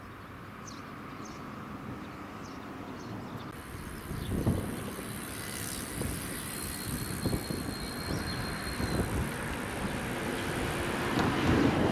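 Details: A steady rumble of passing vehicles and a distant aircraft fills the recording, with no clear animal call standing out.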